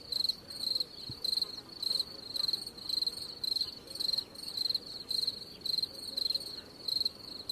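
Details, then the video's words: A cricket keeps up a rhythmic series of sharp, high, trilled chirps, each a brief buzzy burst, coming about twice a second in a fairly even beat over quiet background noise. "cricket sound effects"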